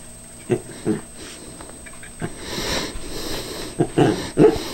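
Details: Cairn Terrier warily going after a switched-off callous remover; a few brief yips and snorts spaced irregularly, with rustling and scuffling noise building toward the end.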